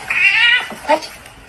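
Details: House cat indoors giving a loud, drawn-out meow that starts high and slides slightly downward, followed by a short second meow a moment later, with a woman's voice asking it questions nearby.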